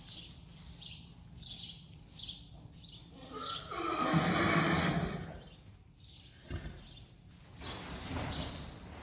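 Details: Friesian horse herd turned out together, a foal named Lieke separated from her mother Reintje; a loud harmonic whinny swells midway and fades, with chirping birds throughout and soft hoof thuds.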